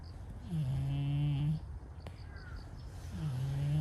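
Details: Stray cat with brown-and-white coat snoring in its sleep: a deep, even drone of about a second, a pause, then the next snore starting, against faint background noise.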